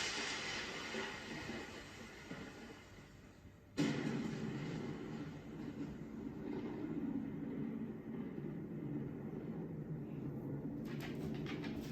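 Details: Steady rumbling train-like mechanical noise with a sudden louder shift partway through, and no animal calls.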